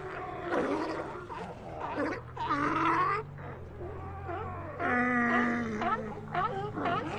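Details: Sea lions giving loud, drawn-out roaring bellows and shorter barks, with several animals overlapping and a low steady hum underneath.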